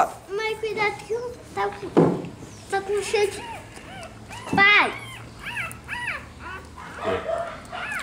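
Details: Rottweiler pups suckling at their black mother let out repeated high, bent squeaks and whines in quick clusters, with a woman talking softly in Portuguese between them.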